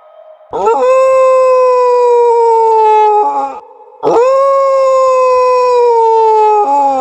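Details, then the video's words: Two long dog howls, each about three seconds, rising briefly at the start, holding a level, mournful tone, then dropping off, separated by a short quiet pause. "Dog Howl to make your Dogs Howling"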